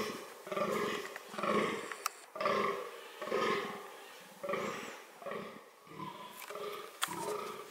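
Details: Fallow deer (Dama dama) recorded in the context of its reproductive strategies: deep, hoarse, harmonic calls repeated about once a second in a steady series of roughly nine pulses, with faint clicks in the background.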